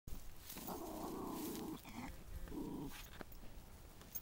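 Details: A Chihuahua, with Harley named, growling while chasing cows: a low, rough, rumbling growl in two bursts, a long one of about a second then a shorter one, with faint outdoor background noise.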